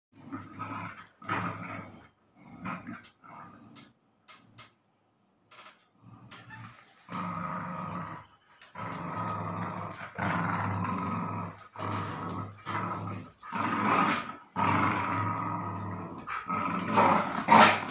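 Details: Dogs Snoopy and Cion, a German spitz and a labrador, playing tug of war: low, rough growls in bursts, short and broken at first, then longer and louder sustained rumbles with rising intensity toward the end.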